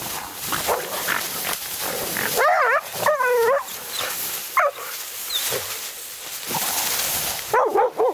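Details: Laika barking at a badger on a night hunt, a first meeting with one: scattered high, wavering barks, some in short doubles, over constant rustling and crashing noise in the brush.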